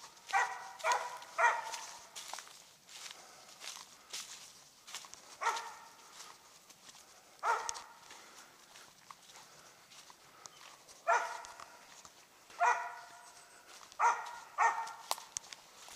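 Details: Squirrel-hunting Treeing Mountain View Cur called Max Pine Knot, around three years old, in South Carolina, barking at a treed squirrel; ringing barks come singly and in quick triplets, separated by quiet stretches and rustling steps.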